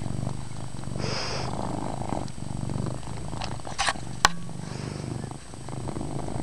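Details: Chase, a pet cat, purring loudly indoors in a dim room: a steady low rumbling throb with rhythmic pulsing, a few brief clicks and rustles from handling in between.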